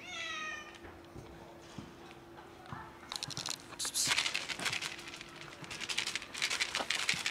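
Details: A cat described as sad gives one short harmonic meow at the very start, then falls silent while crackling, rustling handling noises and a steady low hum fill the rest.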